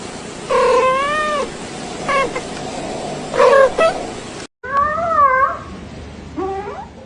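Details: Domestic cat uttering long wavering meows, the first drawn out for nearly a second, then shorter calls and a final rising mew, over steady background hiss.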